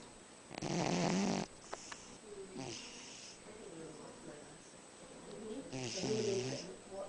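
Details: Sleeping dog snoring: one loud, rasping, drawn-out snore near the start, then softer breathy sounds, with human voices talking quietly in between and again toward the end.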